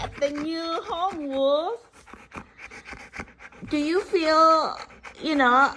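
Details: A husky malamute dog chatting with its owner indoors, on the third day at a new home: wavering, bending howl-like yelps that rise and fall in pitch in several bursts, alternating with the owner's speech.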